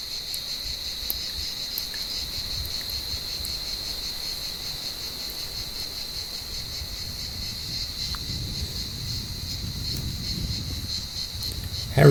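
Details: Cicadas calling from an olive tree on a warm evening while cats climb the branches to hunt them: a steady, high buzzing drone that holds unbroken throughout, over a low rumble of outdoor background noise.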